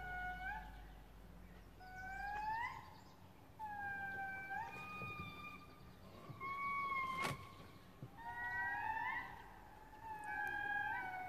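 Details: Indris (babakoto lemurs) singing in Madagascar, recorded 01/09/2018: wailing, tonal notes that swoop upward and hold, with several voices overlapping.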